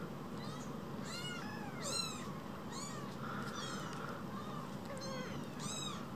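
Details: Two rescued baby kittens no bigger than a mobile phone crying in quick succession: short, high, curved mews, some doubled, roughly six in six seconds, against a faint steady hum.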